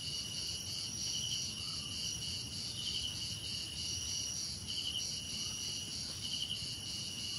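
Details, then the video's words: Several crickets chirp together in a steady high ringing chorus, pulsing evenly, with sharper chirp bursts standing out roughly every second and a faint low rumble beneath. "Relaxing Cricket Sounds"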